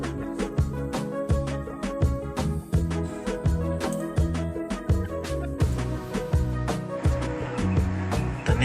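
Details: Steady rhythmic music with a strong bass beat and drums plays throughout, with no animal voices.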